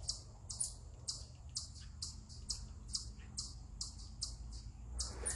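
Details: Eastern chipmunk perched on a rock, giving what is described as a stress call: a steady series of about a dozen sharp, very high chips, roughly two per second, over a low background rumble.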